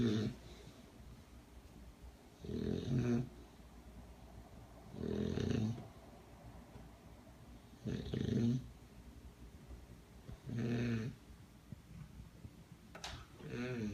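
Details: Sleeping bulldog snoring, lying asleep on a person indoors: low rasping breaths in bursts about every two and a half seconds, each roughly a second long, with quiet pauses between.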